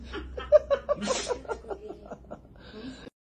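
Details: People laugh and talk in quick bursts of giggles and chuckles, with no animal voice heard.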